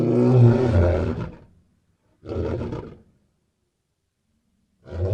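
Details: Lion roaring: a deep, rough, powerful roar lasting about a second and a half, then a shorter hoarse burst after a brief pause, and a third roar beginning at the end, with silence between them.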